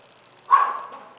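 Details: Golden Retriever puppy, six weeks and five days old, at von L'autumn Kennel, gives a single short high yip, sharp at the start and then tailing off, in an otherwise quiet room.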